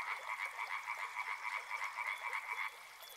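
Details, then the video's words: Frogs calling by a river, a dense chorus of rapid, rattling croaks pulsing several times a second, carried on a steady trilling band that stops abruptly near the end, leaving a soft background hiss. "Frog Sounds | Soothing sounds of river and frogs"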